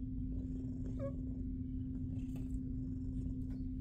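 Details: Female shelter cat Jiji from SBACC, a big fluffy cat, purring as she gets her belly rubbed; a low, continuous rumble fills the recording, with a small short vocal blip near the one-second mark and faint rustling.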